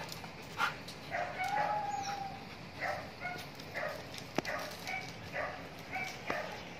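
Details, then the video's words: Siberian Husky during mating: a drawn-out, steady whining tone followed by a string of short, muffled bark-like bursts and a couple of sharp clicks, all set against constant hissing background noise. "SIBERIAN HUSKY (MATING)"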